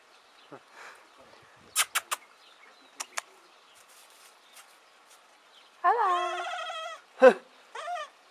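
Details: Baby goat after a few faint clicks and taps: one loud, full, trembling bleat lasting about a second, followed by two shorter, quieter bleats.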